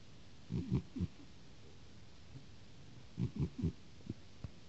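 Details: A cat snores in two clusters of deep, rasping pulses, three or so per breath, with a couple of faint clicks afterward in a quiet room.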